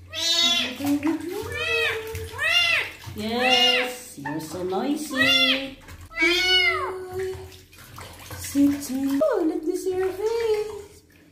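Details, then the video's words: Male kitten meowing repeatedly at his first bath as his wounds are being cleaned: a rapid run of shrill, bending meows, several per second at times, mixed with a person talking close by in a small room. "KITTEN'S FIRST BATH, CLEANING HIS WOUNDS AND HE MEOWS A LOT"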